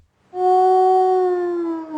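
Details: Wolf howl replayed in an identification game: a single clear, sustained, even-pitched tone that starts abruptly and sags slightly in pitch toward the end.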